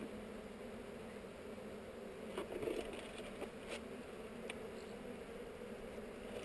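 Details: Honey bees buzzing during a hive inspection among heather, recorded on a GoPro: a steady, dense hum of many bees, with a few sharp clicks and knocks from handling around the middle.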